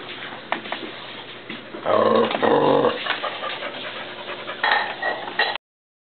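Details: Pet dog giving a quieter, breathy growl that swells into one stronger rumbling burst midway, then fades into softer rough breaths and whines.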